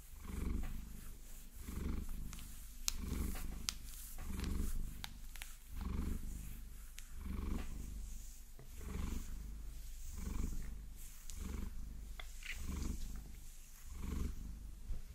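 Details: Maine Coon cat Vasilisa purring while massaged with long nails: a deep, steady rumble swelling and fading in breath cycles roughly every one and a half seconds, with crisp nail tapping and scratching clicks over the top.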